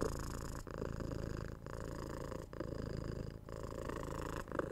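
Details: A pet cat purring indoors, recorded for relaxation: a steady low rumbling purr broken by short pauses about once a second, each pause marking a breath.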